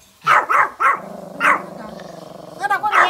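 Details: ['Small fluffy Pomeranians outside, barking at deer: three fast high yaps, a fourth after a pause over a low droning hum, then a quick tonal yelp and another bark.']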